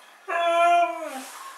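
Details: Mishka, a Siberian Husky, answering her owner indoors with a single drawn-out, steady tonal howl-like vocalization, rich in harmonics, lasting under a second and trailing off with a slight downward bend.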